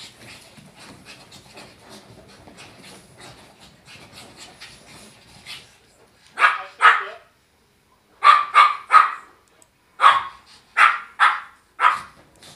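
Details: Shih Tzu barking while playing indoors. Soft rustling and shuffling first, then sharp short barks in pairs and clusters, about seven in the last six seconds, with silent gaps between.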